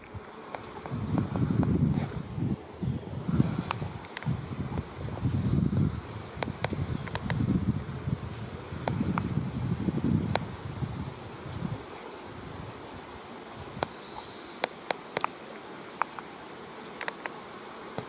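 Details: Female black leaf-cutter bee confronting a foraging black bumblebee worker over purple tufted vetch flowers by a roadside, chasing it off in territorial defence of the flowers; low droning wingbeat buzzes come in repeated bursts, then fade, leaving sharp clicks.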